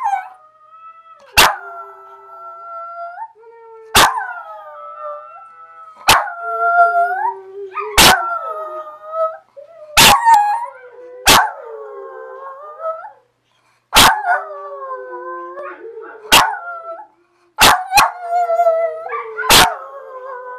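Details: Two dogs, one named Abby, howl together in repeated drawn-out phrases that rise, hold and droop, punctuated by frequent sharp broadband bursts every couple of seconds throughout.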